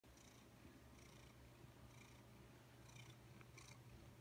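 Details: Domestic cat purring while hanging around an office indoors: a steady low rumbling purr with soft breathy pulses roughly every second, the inhale and exhale phases showing as faint hissy bursts.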